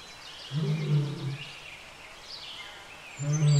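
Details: Mating pair of wild lions at Lake Nakuru, Kenya: two short, deep, rumbling growls about two seconds apart under a steady chorus of chirping birds.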